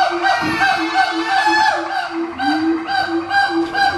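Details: Siamang, an endangered gibbon, singing its very loud song to mark territory, strengthen family ties, guard fruit trees and attract a mate: rich, tonal hooting notes repeated in quick succession, one swooping upward near the middle.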